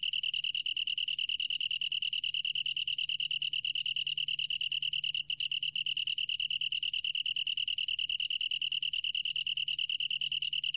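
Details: Long-tailed tree cricket, National Institute of Biological Resources recording from 2020, singing a continuous bright, high-pitched pulsed trill that falters only briefly around midway, over a soft low background hum.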